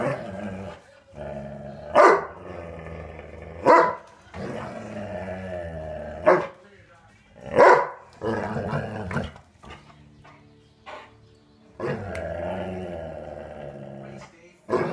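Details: Male dog barking at his owner during play; loud, short, harsh barks every couple of seconds, separated by lower, rough, growly vocal sounds.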